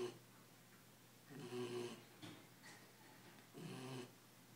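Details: A tired, sleeping Belgian Malinois puppy, ten weeks old, gives two soft, breathy snores about two seconds apart in a quiet indoor room, each a brief rasping exhale.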